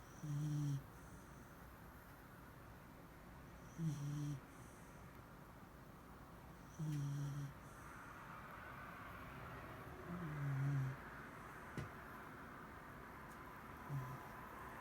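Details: Mari, a sleeping Shiba Inu, snores steadily indoors, each low droning breath repeating roughly every three seconds, five snores in all, with a soft hiss between them in a quiet room.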